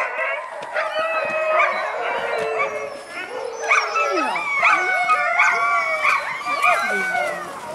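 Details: Several Alaskan Malamutes at Mežpils, Latvia, excited as they are fitted with backpacks for a five-hour hike. An overlapping chorus of high yips, yodels and short rising howls repeats quickly, with faint background noise.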